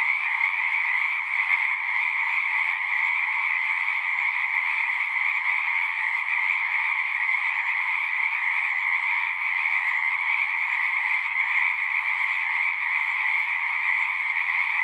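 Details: Many frogs singing together in a dense, unbroken chorus, a steady shimmering trill layered in two bright mid-high bands that holds at even loudness throughout, with no other clear sounds.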